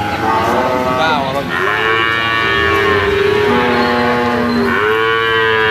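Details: Large sacrificial cattle of 500 kg and above in a weighing pen: continuous harmonic lowing with wavering pitch, one call sliding down and another rising sharply near the end.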